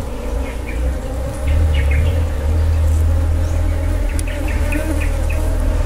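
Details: Droning hum of wild honey bees during a honey harvest; the rumble grows louder after the first second, and a run of quick bird chirps repeats in the background.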